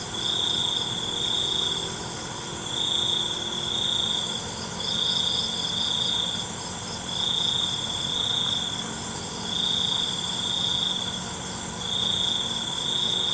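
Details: A cricket's high, metallic trill repeats in regular one-to-two-second bursts at night, backed by a softer pulsing insect buzz and steady faint background hiss.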